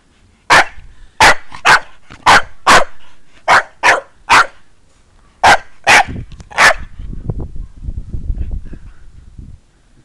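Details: Irish Staffordshire Bull Terrier, a three-and-a-half-year-old female, barking while playing: loud, sharp barks in quick bursts of two or three, about a dozen in all, followed by low rustling and handling noise.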